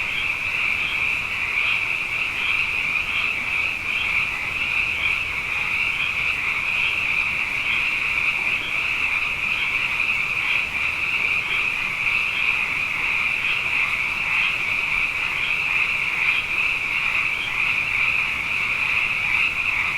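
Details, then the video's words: Abundant frogs calling at night after two wet years in a row, in Hawaii, forming a dense, continuous chorus of overlapping high croaks with a steady pulsing shimmer and no pauses. "Frog Songs: Na Mele o nā Paloka"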